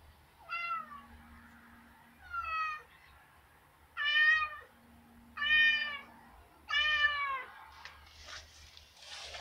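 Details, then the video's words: Indoor pet cat begging to be let outside on a snowy day, giving five separate harmonic meows spaced about one to two seconds apart, each falling slightly in pitch, with faint room hum. "Meows Begging to go out side meowing"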